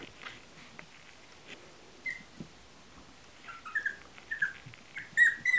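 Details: High thin squeaks from Chihuahua puppies in a kennel, sparse at first, then quick bursts of whistle-like peeps toward the end over a low background hiss.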